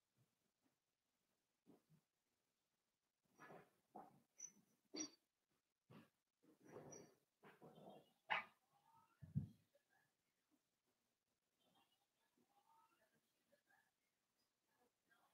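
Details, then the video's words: Five blenheim Cavalier King Charles Spaniel puppies, born on New Year's to Paris and Spike, playing with their mother in an indoor puppy pen: soft scattered yips, grunts and brief whines in irregular bursts, with quiet gaps between. "Cavalier Puppies Play with Mama"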